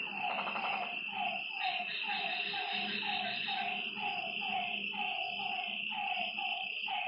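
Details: Frogs croaking at night by a lake, a quick rattling burst at the start, then evenly spaced falling notes about every half second, over a steady high insect whine and a faint low hum.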